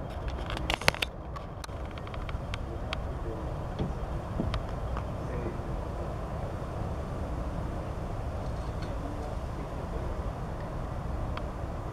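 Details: Steady outdoor road traffic rumble fills the scene, with a few sharp clicks and faint voices early on.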